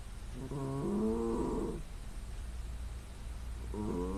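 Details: Loud snoring from a sleeping female cat, captured by smartphone: a drawn-out, buzzy nasal snore of about a second, a quiet pause, then the next snore beginning, with a low background hum.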